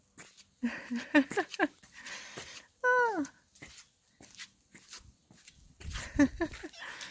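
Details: Black female cat meowing while being petted: a single loud, drawn-out meow with stacked harmonics that swoops downward, surrounded by short chirpy sounds and a person talking indoors.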